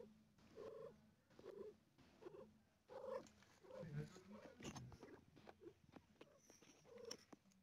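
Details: Mother cat in labour with four kittens, in pain, makes soft rhythmic purring groans about once a second over a low rumbling breath, in a quiet room.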